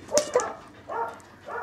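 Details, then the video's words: Young male Corgi puppy, born 19 January 2012, heard on 26 February giving short yips: a pair of quick sharp ones, then two brief, slightly longer whiny yelps spaced about half a second apart. "コーギー 仔犬"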